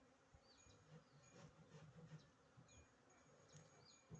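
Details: Western honey bee (Apis mellifera), wing buzz.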